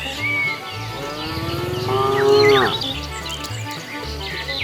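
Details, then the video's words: Cattle walking on a road in search of food: one long, full moo swelling then falling away, accompanied by music and scattered bird chirps. "Funny cow sounds"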